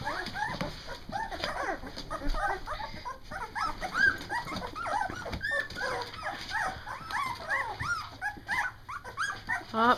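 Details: Two-week-old Doberman puppies from a first litter, eyes newly open, finding their barks: a dense chorus of high, rising squeaks and whimpers overlapping throughout, with a woman talking to the dogs in the background.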